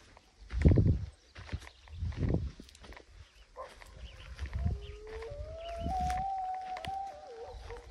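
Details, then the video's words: Mexican grey wolves in the wild, howling in Arizona's Primitive Blue Range on 6.10.23: a long, steady drawn-out howl rising then holding level, with a second wavering voice below, after low thumps and rumbling in the opening seconds. "Mexican Grey Wolves howling in Arizona’s Primitive Blue Range, 6.10.23."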